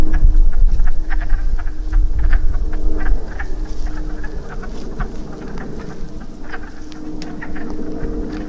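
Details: Breeding chorus of wood frogs at a pool along a woodland trail after rain: many quacking croaks overlap, rapid and uneven, over low rumbling wind and a faint steady hum.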